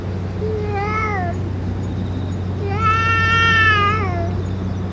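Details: Stray boss cat meowing after eating food and medicine: two drawn-out, harmonic-rich meows, the second longer and louder, over a steady low hum.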